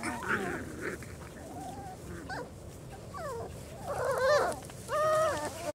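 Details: Four-week-old German Shorthaired Pointer puppies, a whole litter outside for the first time, squeal and whine in brief looping and rising cries, louder toward the end, while people chat nearby.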